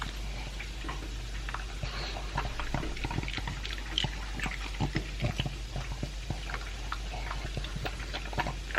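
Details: Elvis, a pug aged two, crunches dry food and beef meat. Quick, closely spaced bites and wet clicks keep a busy, irregular rhythm throughout, with a low hum beneath.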